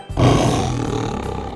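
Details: Tiger at a zoo letting out a single deep, rough roar that starts abruptly and holds steadily for over a second, with music playing underneath.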